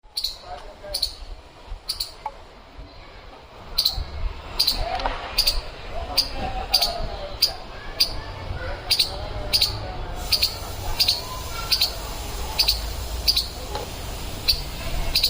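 A squirrel gives sharp, high chirping barks, repeated roughly once a second over a low rumble.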